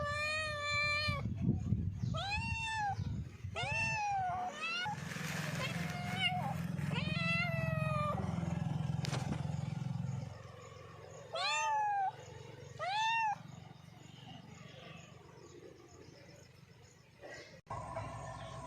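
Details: Domestic cats giving a series of arched meows, several in the first half with a muffled noisy stretch between, then two clear rising-falling meows near the middle and faint background noise toward the end.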